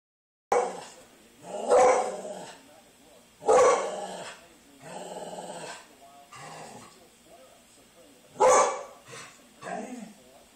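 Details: Siberian Husky shown reacting as if upset with a televised weather forecast; loud drawn-out vocal bursts with rich harmonics, roughly every two seconds, mixed with a man speaking to the dog indoors.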